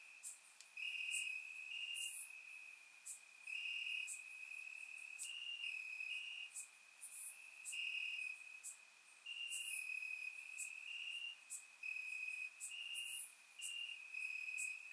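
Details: Crickets chirping in grass on a warm Bulgarian summer night, recorded with a surround microphone: a persistent high trill pulsing in short louder bursts, accompanied by occasional sharp high insect ticks.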